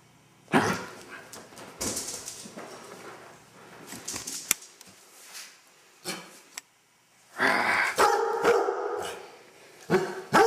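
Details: A Basset Hound gives deep, broad barks and bays in irregular bursts around his bath, before playing afterward.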